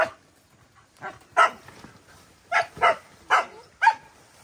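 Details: Kept wild boars out on a walk give a run of short, harsh grunting squeals at irregular intervals.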